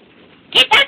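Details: Beaux, a dog chasing squirrels, which he will do all day, gives two quick sharp barks in rapid succession after a person urges him to get it.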